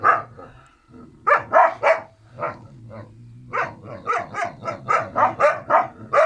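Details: Two Kangal puppy siblings, Karo and Karaca, give a few scattered yaps, then a steady train of sharp, evenly spaced barks over a faint low rumble.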